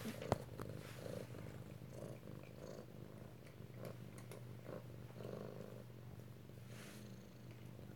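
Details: Kittens at home in Alabama, recorded close-up on 2/7/18, one kitten lying on its mother; soft, low, steady purring rumble with rhythmic pulses, under a woman's talk and small handling noises.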